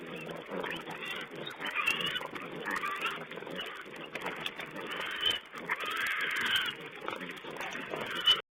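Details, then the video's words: Wild pigs feeding, filmed by a fixed camera on 20 April 2010: harsh, noisy bursts of grunting and squeal-like calls come in uneven waves over a steady rough rustle, with a sharp knock near the end. "Wild Pig Cam2: feeding"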